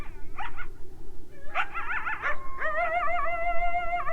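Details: Coyotes yelping and yipping: a few sharp yips, then wavering yelps that settle into a sustained, steady howl.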